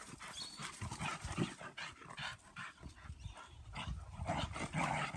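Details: Female German Pinschers having fun in a yard: dense throaty growling and snarling in quick irregular bursts, with harsher sharper snaps near the end.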